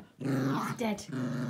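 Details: Pet dog growling indoors while shaking and 'killing' his stuffed toy elephant, an evening after-dinner ritual; a low sustained growl with a brief higher break, person talking nearby.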